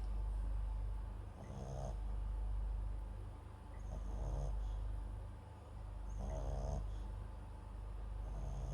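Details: MAX, a Papillon × Japanese Chin mix dog, snores while sleeping beside a close microphone: a rattling, fluttering snore repeats about every two and a half seconds, with soft breaths between, over a low hum.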